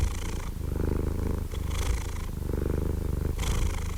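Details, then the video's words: Cat purring steadily: a deep, low rumble that swells and eases with each breath, with a soft breathy hiss rising over it on alternate phases about once a second. "Purring Cat White Noise"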